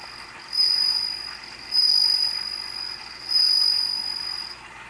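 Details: Bell cricket song: a pure, high ringing tone with a faint overtone above it, given in three sustained trills of about a second each, spaced roughly a second and a half apart, over a quiet, steady background.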